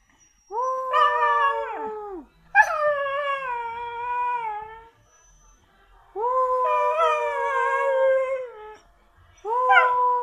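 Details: Siberian Husky howling repeatedly in long, steady, harmonic-rich tones, each sustained for one to two seconds then dropping away, with short gaps between four successive howls.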